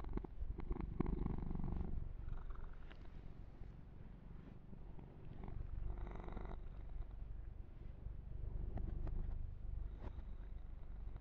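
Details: Low rhythmic purring from Yumak, a kitten enjoying an ear-to-ear massage, the rumble steady throughout while brushing and grooming rustles come and go in bursts.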